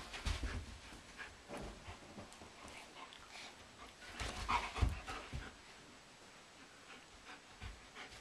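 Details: During a living-room wrestling match in April, a German Shepherd and a Doberman pant rapidly and irregularly, with bursts of breathy huffing and low thuds of bodies colliding, loudest near the start and around four to five seconds. Two young sheep watch.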